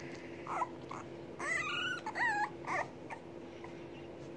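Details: Hungry English Bulldog puppies awaiting their mother's feeding; scattered short whimpers, then a cluster of bent, squealing whines in the middle, fading to quiet whimpers over a low constant hum.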